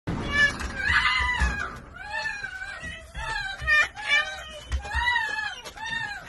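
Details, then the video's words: Happy domestic female red fox that had missed her wolf friend: a run of high, harmonic whines and yelps, arching and wavering, several short excited bursts in quick succession, with rustling and handling noise underneath. "The happiest fox missed her friend - fox and wolf"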